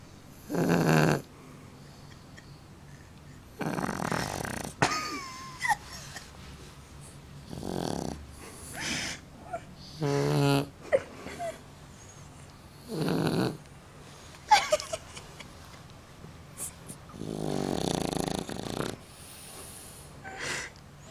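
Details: Shar Pei snoring like a real man: irregular series of raspy snorts and rattling inhalations, varied in length, with a few squeaky whistling notes between breaths, indoors.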